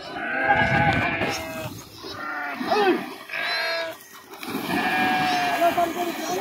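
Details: Flock of sheep swimming in a river with young goats; drawn-out quavering bleats come in three or four bursts, each about a second long, over a background of voices and water.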